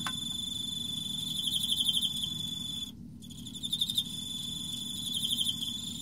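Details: Singing Emma field cricket, autumn: repeated bursts of fast pulsed chirps riding on a continuous high ringing tone, a one-second gap near the middle, low background noise.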